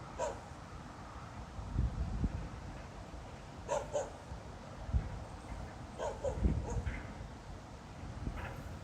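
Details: A dog at night, 02:28 on 26 November 2016, is barking for no apparent reason once more. Faint, far-off barks come in short pairs a few seconds apart, with low thumps and a background hum.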